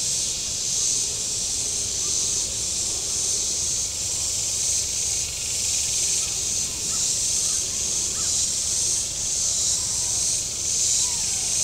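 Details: Cicadas along the shore of Table Rock Lake in southern Missouri on a warm Saturday: a constant high buzzing wash with loose, uneven pulsing swells.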